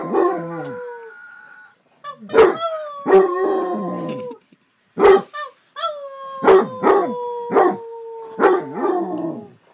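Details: Basset Hound, a male pet, alternating short punchy barks with long mournful howls that glide slowly downward, in a loud, uneven sequence with brief pauses.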